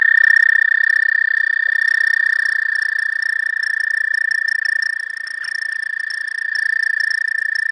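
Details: Early spring at a pond, with the first frogs of the season calling: a sustained, even high-pitched trill runs without a break, rapid pulses blending into one ringing tone, dipping briefly in loudness near the end.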